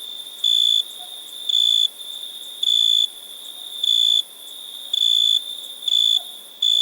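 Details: A cricket gives sharp, clean-edged bursts of piercing trill about once a second, each lasting a fraction of a second, with a softer steady chirring between them.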